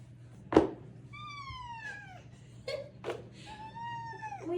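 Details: Ragdoll cat, one of several pet cats about to be walked outside, giving two drawn-out harmonic meows that slide downward in pitch, separated by a sharp click and a brief voice over a steady low hum.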